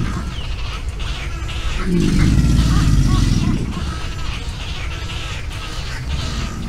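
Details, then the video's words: An American alligator displaying, seen on a swamp live cam on 21 April 2021, gives a deep, rumbling, throbbing growl lasting about two seconds, over steady background noise with faint bird notes above. "Alligator displaying"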